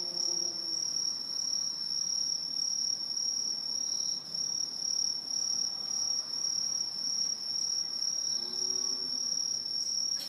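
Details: Autumn chorus of Aobamatsumushi, a non-native tree cricket living high in Japanese trees: unbroken piercing high-pitched trilling from many insects at once, loudness wavering in gentle waves, soft low rumble in the background.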